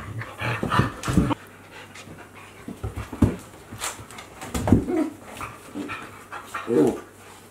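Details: Two Akita Inu, aged 14 months and 2 months, playing together in 2023: soft panting and short grunting growls in scattered bursts over a steady low hum.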